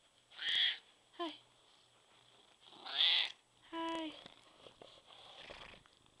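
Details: Sassy, a black male pet cat who lived to 17, gives two short, tonal meows about two and a half seconds apart, separated by breathy, hiss-like bursts of sound.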